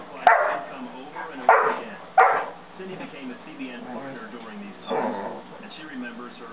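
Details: A 5½-month-old St. Bernard puppy indoors barking to get another dog to play: three loud deep barks in the first two and a half seconds, then one more near five seconds, with murmuring voices between.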